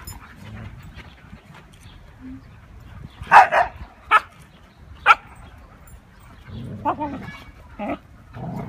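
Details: Huskies Mia, Nola, Bender, Fry and Max at play: a burst of loud, broadband barks near the middle, then single sharp barks spaced about a second apart and a lower, rougher pair near the end, over quiet room murmur.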